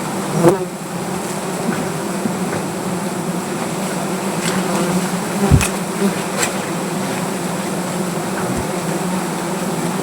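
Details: Angry native honey bees swarming at their hive during honey collection under a tree in Gazipur, Bangladesh: a thick, steady, low buzzing hum throughout, broken by a few sharp knocks and clicks from the harvesting work.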